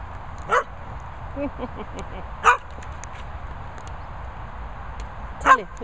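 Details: Barney the Labrador and Chelsea the Staffie: three sharp, loud barks roughly two and three seconds apart, separated by quieter gaps with faint murmuring and a steady low background hum.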